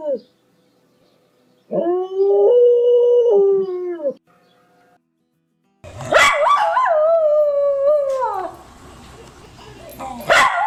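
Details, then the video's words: Dogs howling loudly, one of four: a sustained harmonic howl near 500 held about two seconds, then after a pause a louder wavering howl that slides downward and fades. "PERROS AULLANDO (FUERTE) 🐶 Sonidos de Perros Aullando"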